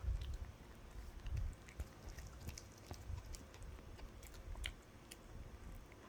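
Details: A puppy eating a dog chew: strong crunching bites at the start, then quieter rhythmic gnawing with light clicks and snaps.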